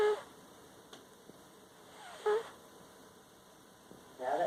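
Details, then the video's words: Sleeping cat named Kittles snoring in a living room with an unusual squeaky noise: short high squeaky bursts recurring about every two seconds over a quiet steady hum, with a faint voice talking in the background. "Sleepy Kittles is snoring!"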